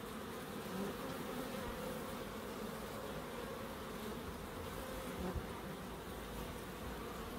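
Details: Garden bees in Crookes buzz in a constant, low-pitched hum that barely varies, with one brief soft knock near the end.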